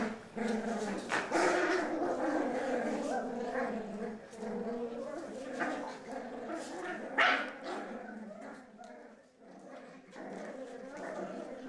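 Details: Four Cavalier King Charles Spaniel puppies indoors at home, tugging and fighting over a sock after being left alone: dense overlapping low harmonic growls and snarls run almost continuously, with occasional sharper yelps.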